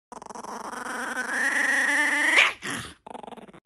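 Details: Angry white puppy indoors, a growling, whining vocalisation that rises steadily in pitch over two seconds, ending in a sharp yelping bark, then short quieter pulsed grumbles.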